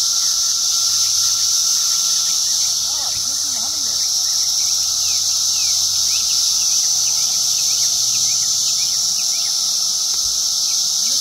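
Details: Ovipositing periodical cicada, Magicicada septendecim, amid a continuous high, hissing cicada chorus and steady whining tone, while many quick bird chirps and a few lower warbling notes sound in the background.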